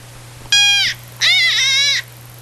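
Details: A white-tailed deer, perhaps with nothing good happening to it, gives two harsh, nasal distress screams, the second longer and wavering.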